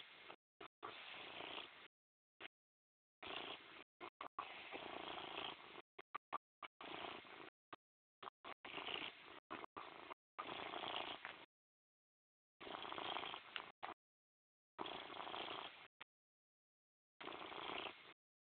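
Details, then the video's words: Morris, a cat, purring: a rough, steady rumbling in long bursts of one to two seconds, broken by short silent gaps as the purr rises and falls with each breath. "PURR BY MORRIS"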